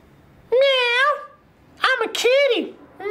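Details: Cat meowing indoors: three clear harmonic meows, the first long and level, then a short bent one and a rising-falling call, in a quiet small room.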